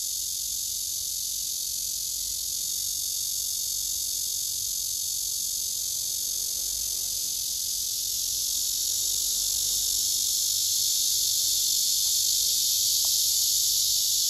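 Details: Male cicada singing among other cicadas on a tree, recorded on a phone: a long, sustained, sizzling high buzz that swells slightly louder toward the end, with a faint brief click near the close.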